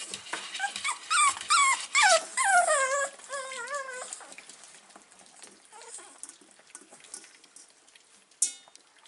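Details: Six-week-old Staffordshire Bull Terrier puppies, filmed 3 October 2020, whimper in a quick run of high, wavering, falling cries over about four seconds, followed by quieter rustling and handling noise.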